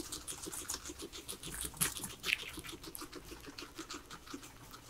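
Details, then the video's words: Quiet, brisk nibbling from three domestic guinea pigs feeding on veggies, a fast patter of crisp bites with a couple of louder crunches, otherwise still. "asmr guinea pigs eating veggies"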